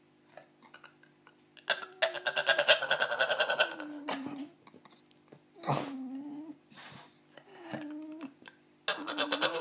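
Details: American Staffordshire Terrier giving drawn-out, moaning whines that slide downward, several separate bouts with short pauses, plus a burst of broadband noise early on, recorded indoors.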